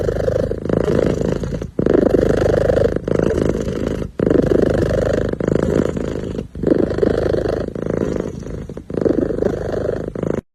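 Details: A contented kitten sitting and purring steadily. The low, throbbing rumble rises and falls in phrases one to two seconds long, each separated by short pauses for breath.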